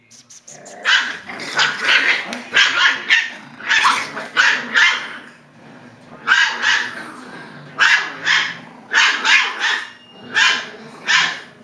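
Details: Six-week-old Klee Kai and Shiba mix puppies on their first day out, giving a rapid series of high, sharp yaps and barks in bursts, roughly one to two per second, with short pauses between.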